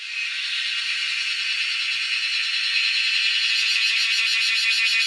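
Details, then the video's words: A wild cicada's intense high buzz, rising quickly then holding steady, developing a fast pulsing throb toward the end, recorded while hunting cicadas in the wild. "Hunting cicadas || Making crazy noise in the wild"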